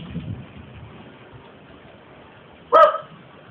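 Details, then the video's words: Romeo, a Welsh Terrier pet that seldom barks, lets out one sharp, harmonic bark near the end after a quiet stretch, with a brief murmur of a person's voice at the start. "Romeo's Barking!"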